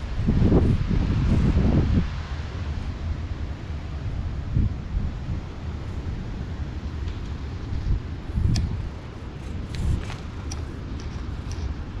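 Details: Gusty wind rumble and rustling, with a few louder low bursts and scattered light taps, and no animal call.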